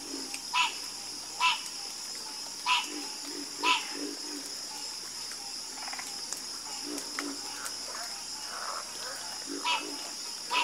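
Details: A harmonious frog chorus, where bright, clipped croaks repeat at irregular intervals of about one second over a bed of quieter, deeper croaks. An unbroken high buzz persists throughout.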